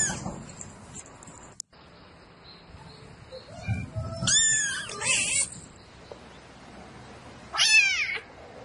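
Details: A domestic cat calling for a mate at night gives a few strained, wavering yowls, loud and harsh, with pauses and some background rustling between them.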